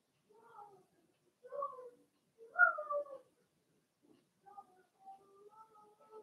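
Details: Blenheim Cavalier King Charles Spaniel puppies, a litter of six, in a home puppy pen while being potty trained; a few rising and falling whines, the loudest near the middle, then softer drawn-out squeaks.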